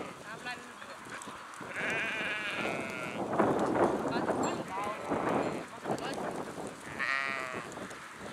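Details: Sheep flock calling: drawn-out quavering bleats at intervals, one strong high bleat near the start and another near the end, with a dense murmur of lower, overlapping voices between them.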